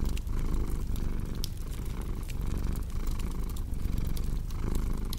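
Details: Deep throbbing purr from a cat, rising and falling with each breath roughly every second, over the crackle and snap of a fireplace.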